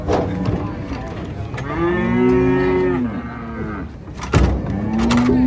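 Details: Enraged giant female cow bellowing during loading beneath a reputedly haunted tree: one long, deep, arching moo swelling and fading over about two seconds, then a sharp knock and a new rising moo starting at the end.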